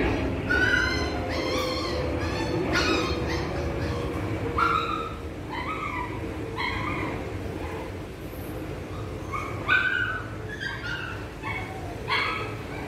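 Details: A poodle at a dog training school in Saigon gives a run of short, high-pitched yappy barks, several each second, over a low background rumble.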